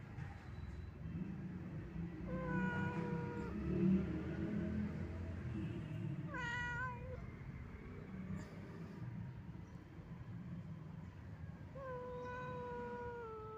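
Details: An old, wandering domestic cat giving sad meows: three drawn-out, slightly falling meows spaced several seconds apart, over a steady low rumbling background noise.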